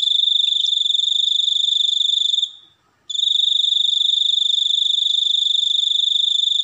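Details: Sustained high-pitched cricket trill that fades out around two and a half seconds, falls silent for half a second, then restarts strongly and continues steadily.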